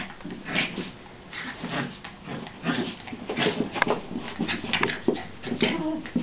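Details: Domestic dogs play fighting indoors in a small room: a scuffle of short growly grunts and whimpering yelps in irregular bursts, with thumps and movement noise throughout.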